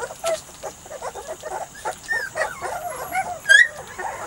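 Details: Weimaraner and Vizsla cross puppies, a litter three to four weeks old, making short whimpering and squeaky calls in quick succession, overlapping one another, with one sharper high squeal near the end.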